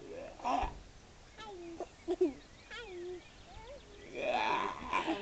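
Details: Seal at Mablethorpe seal sanctuary, repeatedly making odd, very vocal noises: a series of short, mid-pitched tonal swoops and bent wails, some rising then falling, spaced irregularly, with people talking loudly at the start and end.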